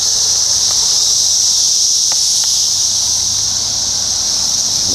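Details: Brood X periodical cicadas during the 17-year emergence, Ohio, June 4, 2021: an intense, even, high-pitched drone with a few soft clicks, dominating from start to finish.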